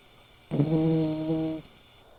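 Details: Sora, a five-year-old male silver tabby American Shorthair cat, snoring while asleep: a single drawn-out, tonal 'poo' breath of about one second with steady low harmonics, in a quiet room.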